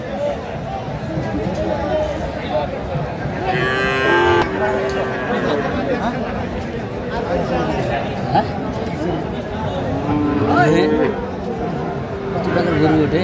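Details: Sahiwal bull calves at a Faridpur livestock market, Bangladesh, on 11 March 2025, as farmers bargain to buy them: a short, rich, drawn-out moo midway, then a wavering lowing call later, over steady crowd chatter, haggling voices and background music.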